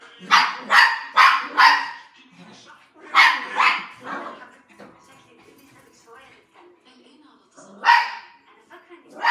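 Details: Poodle at play, giving sharp barks in quick bursts of three to four, pausing, then barking again near the end.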